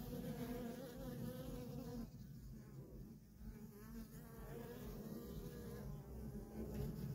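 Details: Worker honey bees in nonstop traffic at a feral colony: a dense, steady droning hum with strong bands around the low-middle range, dipping slightly in the middle seconds before swelling again; no other clear sounds.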